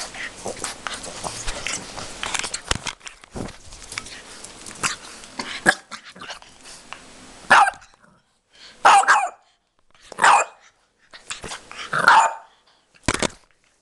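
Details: French Bulldog puppy, described as angry: after several seconds of rustling and handling noise, five or six short, bright barks follow at irregular intervals of about one to two seconds.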